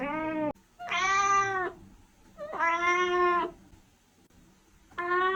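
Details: A kitten meows to attract cats. Four tonal, nasal meows come in steady succession, each about a second long with short gaps between them and a level, harmonic-rich tone.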